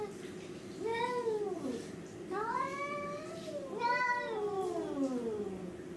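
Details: Domestic cats in a confused attack on another cat; three drawn-out, wavering meows about a second long each, rising then falling in pitch, over a steady low background hum.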